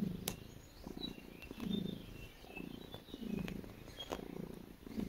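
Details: Cat purring as it makes biscuits: deep, buzzy rumble in rhythmic breaths about every 1.6 seconds, with occasional crisp clicks of kneading paws.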